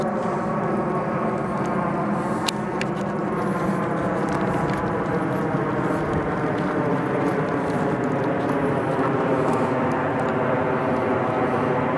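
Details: Steady droning engine noise, like a passing aircraft or vehicle, with no animal calls. The hum holds evenly throughout with one brief click.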